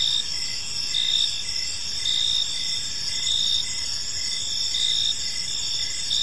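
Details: Crickets chirping in a peaceful park as evening unfolds, a dense overlapping chorus of high, steady trills with pulsed chirps repeating roughly once a second, over a soft low background hum.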